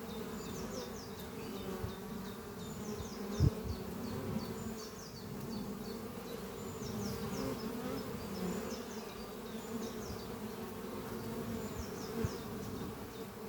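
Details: Honey bees returning with pollen and flying at a horizontal oak-chest hive on a spring morning; unbroken low buzzing hum of many bees, bursts of high chirping birdsong recurring, one sharp knock.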